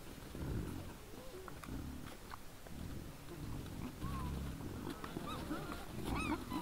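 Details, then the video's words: Wild boars at night before a trail camera, 17 December 2022 at about 20:17: deep throaty grunts in bursts, with thin rising and falling squeals breaking in near the end. "Nice sounds of the Wild boars"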